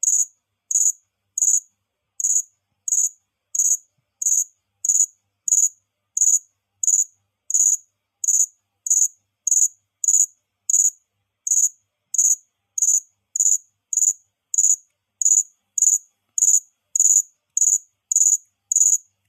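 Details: A single cricket's high-pitched chirps, crisp, pulsed bursts repeated at a brisk, even pace of roughly one and a half per second throughout, with a nearly silent background.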